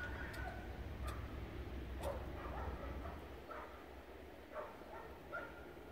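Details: Snow play from a dog named Steele: scattered sharp yips and barks, a few clustered early and then spacing out, over a constant low background hum.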